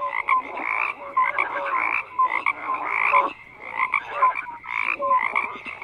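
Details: Frogs croaking together in a dense chorus, overlapping rough pulsed croaks with short tonal notes, bursts swelling and fading roughly every second, no other sounds.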